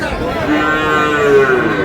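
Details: Cow with calves at Ambari cattle market, Dinajpur, Bangladesh, 7 August 2026: a sustained, steady, mid-pitched moo held for about two seconds, with a low murmur of the market crowd behind it.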